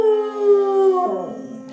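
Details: Pet dog howling along during a mock singing lesson at the piano: one sustained, steady tone that slides downward and fades near the end.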